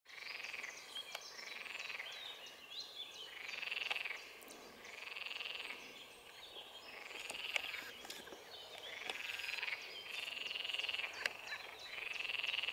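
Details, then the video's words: Green frogs (Pelophylax sp.) calling at ponds in the Drage valley on 25 May 2023: rough, pulsed croaks rising and falling, repeated in bursts roughly every one to two seconds, several animals overlapping in a steady chorus. "SALIENTISA Pelophylax sp. ZELENA ŽABA"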